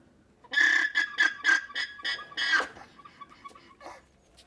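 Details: A female alpaca gives a high, wheezing alarm call on spotting a fox: shrill, braying pulses about four per second that fade into softer squeaks. It warns the herd, which groups together.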